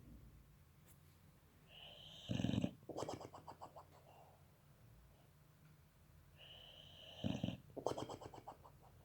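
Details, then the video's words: Boxer puppy asleep, snoring and puffing out its cheeks: two bursts of snoring about five seconds apart, each a loud low snort followed by a rapid series of rattling, puffing breaths, with quiet breathing between. "Щенок немецкого боксера спит - храпит, надувает щеки"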